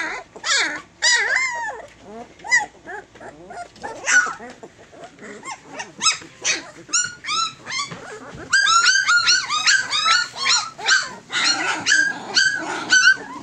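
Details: Fourteen Tosa Inu puppies nearing three weeks of age: rising and falling whimpers and squeaky yelps, several arched whines early, then a busier stretch of rapid overlapping squeals from many pups.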